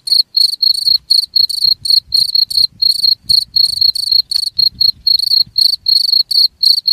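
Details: Steady high-pitched cricket chirps, used to repel rats, pulse about four times per second with bright overtones, over a faint low rumble in the background.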